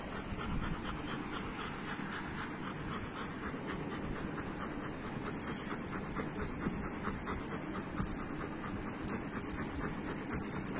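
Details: Female Golden Retriever, a pet at home before her morning walk while her owner tries to put on her belt, panting in steady rapid breaths about a hundred per minute, with jingling metal tags growing louder toward the end.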